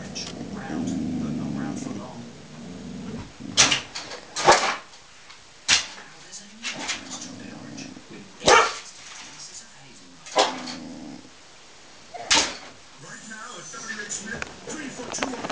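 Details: Female Border Collie indoors, barking at a squirrel at the end of a chocolate TV advert she runs to whenever its countdown music plays; sharp, loud barks in repeated bursts over about fifteen seconds, with television sound and speech between them.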